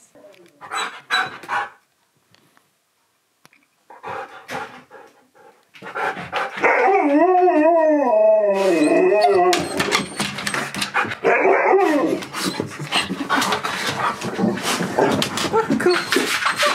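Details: Husky named Key at a birthday visit for its friend Sherpa, another dog: after a few short noisy bursts comes a sustained, wavering, harmonic howl that bends up and down for several seconds, followed by dense overlapping yelps, voices and clatter.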